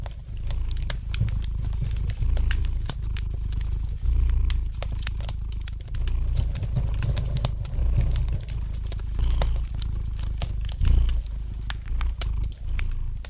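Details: Domestic cat giving a gentle, relaxed purr by a fireplace: a continuous deep rumbling drone that swells roughly every two seconds with each breath, accompanied by light crackling and occasional sharp pops of the burning fire.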